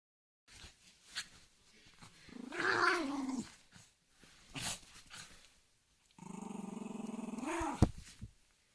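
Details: Angry dog growling: a low rumbling growl around 2.3 to 3.5 seconds rises into a louder snarl, then a sustained pulsed growl from about 6 seconds, with short sharp noises between.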